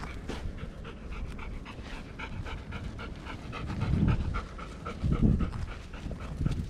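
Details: Golden Retrievers panting on a walk in Ain village, 25 March 2021. Seven dogs were out: the mother Soyo, her three nine-year-old pups Mayo, Yuho and Chiyo, plus Chiro and the two-year-olds Rowa and Chiwa. Quick breathy huffs repeat steadily, with soft footsteps.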